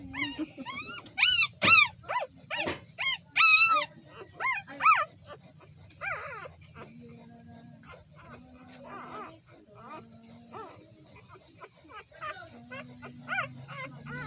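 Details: Newborn puppies whining and squealing: a rapid run of high, arched, wavering cries, loud at first and then softer and more scattered, with a faint steady hum underneath.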